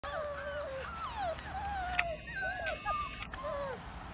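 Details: A litter of 34-day-old puppies whimpering: many overlapping high, thin whines sliding downward and upward, nearly continuous, from several pups at once over a steady background hum.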